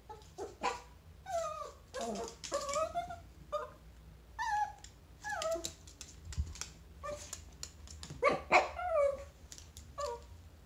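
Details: A Chihuahua meeting a chinchilla yips and whines loudly and repeatedly. Sharp, falling yelps and sliding whimpers come in quick clusters, some bent tones rising again. Light tapping and clicking sounds are mixed in.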